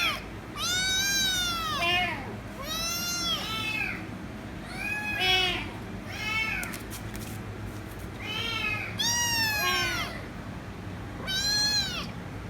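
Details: A loud kitten calling for head rubs, giving repeated long, bowed meows in pairs, roughly every two seconds, with a low hum underneath.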